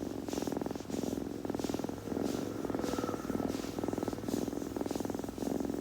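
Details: A kitten's purr, low and pulsing, swelling in short breath cycles under a second long, intimate and close, with light licking or grooming noises mixed in.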